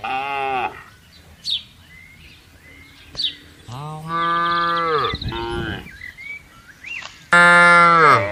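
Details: Tame cattle herded across a wide open pasture: several long harmonic moos, one starting and ending the stretch with a loud final bellow, while short bird chirps and whistles sound in the gaps between calls.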